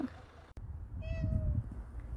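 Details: A domestic cat that has grown close to its owner gives one drawn-out, level, tonal meow lasting about half a second, with low rumbling background noise and a sharp click just before.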